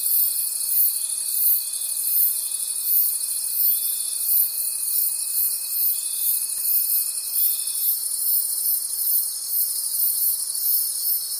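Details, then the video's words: In a night forest, crickets keep up a steady high shimmering chorus, pulsing roughly three times per second, over a long unbroken thin trill that ends about two-thirds of the way through. "Forest Sounds and Cricket Conversations at Night"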